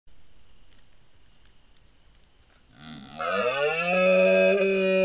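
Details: A large deer stag bellows at night during the rut, picked up by a hunting trail camera; after near silence, a long, deep, harmonic bellow starts at about three seconds, rises, then holds steady and loud to the end.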